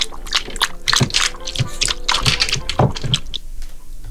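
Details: Splashing and sloshing water mixed with short bursts of human voice indoors.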